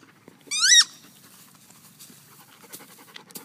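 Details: Playing German Shepherd lets out one brief, sharp, high-pitched whine that bends upward and then drops away, followed by quiet panting and faint clicking sounds.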